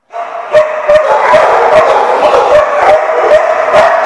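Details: Dogs recorded 15 June 2015 bark loudly and continuously, sharp overlapping barks coming about two or three per second with no pause, echoing slightly.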